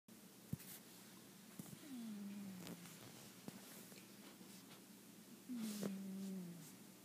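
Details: A sleeping cat snores indoors: two drawn-out, low tonal breaths, each dipping slightly and lasting about a second, come some four seconds apart. Scattered soft clicks and knocks sound in the room.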